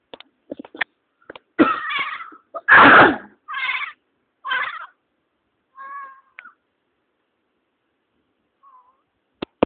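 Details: Pet cat meowing indoors, surprised and startled by its owner sneezing: several drawn-out, wavering meows in quick succession, one loud harsh burst near the third second, then a softer short meow, a faint chirp and scattered clicks.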